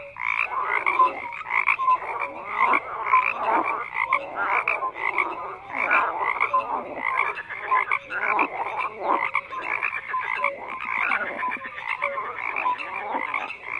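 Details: Many frogs croak together, harsh rattling calls overlapping in surging bursts roughly every second, with scattered short tonal notes underneath and no other background.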